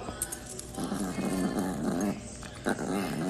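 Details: An angry Chihuahua at home growls in a low, rumbling, pulsing run over several seconds, with soft music playing underneath and a short burst of louder noise near the end.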